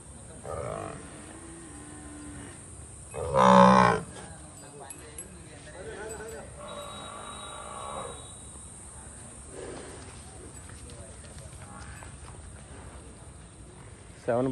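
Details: Murrah buffalo at a Karnal dairy farm, India, where milking buffaloes and one bull are loaded for Warangal: one loud, brief, full-throated bellow stands out among several fainter, longer, low moos, with steady mechanical hum behind.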